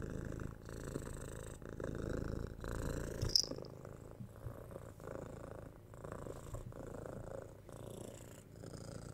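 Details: Kitten Tora, six months old, purrs under head scratches and pats, captured with a 3Dio binaural microphone; a low continuous rumble swelling and fading with breaths, with a sharp click near the middle and light rustling.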